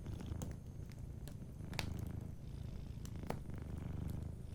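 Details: Soft, continuous low purr from a sleeping cat by a warm fire, the deep rumble pulsing evenly while scattered light crackles and snaps from the fireplace punctuate it.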